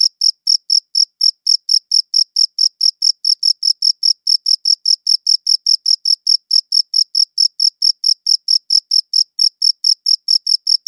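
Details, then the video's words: Steady cricket chirping recorded in high-quality audio, a long even series of crisp high chirps, roughly two per second, continuing without interruption against total silence. "Cricket Chirping Sounds"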